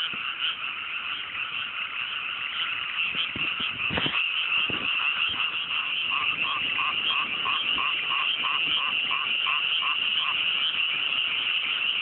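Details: Frog chorus at night in mountain rice paddies just after rice planting, on a fine cool evening in the Japanese countryside: dense, continuous overlapping croaks forming a steady high chattering wash, with a faster run of repeated notes in the second half.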